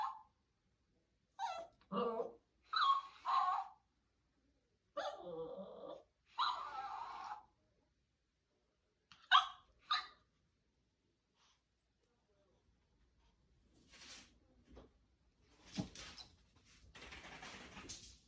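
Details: Scared puppy confronting a moving doll indoors: a run of loud, clipped barks with one drawn-out bark, then quieter rustling, shuffling noise toward the end.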